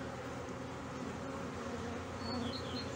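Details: Honey bee colony in a hive in Brno, 2022, where an inserted queen cell was found chewed open after the bees' own queen cell hatched first; a steady, dense low hum with layered droning tones throughout.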